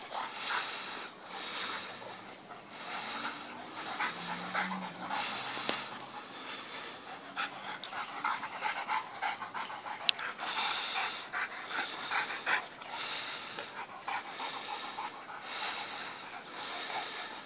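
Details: A white dog named Teddy, on loan while his owner looks for a pet-friendly home, plays with Lucien one morning; rough, breathy pants come in steady bursts about once a second, with small scuffling sounds between them.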